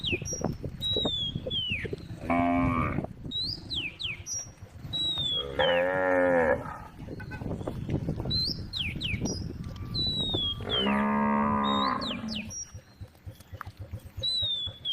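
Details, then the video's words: A group of tame cows on a road lows three times at spaced intervals, each moo lasting about a second, while many birds chirp and whistle throughout. "a group of tame cows made the sound of cows calling on the road"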